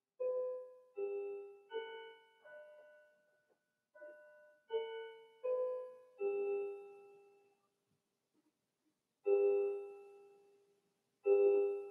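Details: Slow, sparse piano notes ring out one at a time and fade in a quiet room, with no animal voices.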